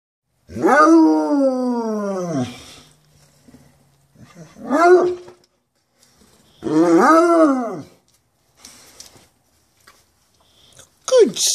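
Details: Bloodhound. A bloodhound howls in deep, rich, drawn-out bays, each swelling upward and then sagging down over a second or two. Three main howls come with short pauses between them, plus a brief final yelp.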